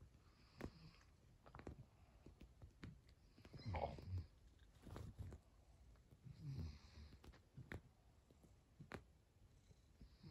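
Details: Norwegian Forest Cat mother approaching her own daughter indoors; two soft, low murmuring bursts near four and six and a half seconds, with scattered light clicks and rustling between them in a quiet room.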